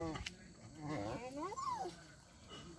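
A dog gives a wavering, voice-like whine that swoops up and then slides back down.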